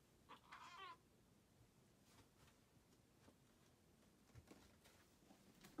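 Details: Mia, a six-pound Balinese cat, gives one short, wavering meow lasting under a second near the start, rich in harmonics, then near silence with faint soft clicks and a brief low sound at the very end.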